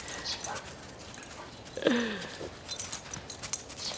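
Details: Dogs in a home office, a lab mix puppy sitting a coon hound pup: one short whimper slides downward midway, with a person talking softly to the dogs and light rustling around it.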